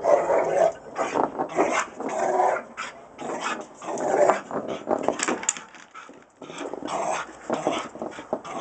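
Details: A Rottweiler getting its workout gives a run of deep, rough barks and growly vocal bursts, about one each second.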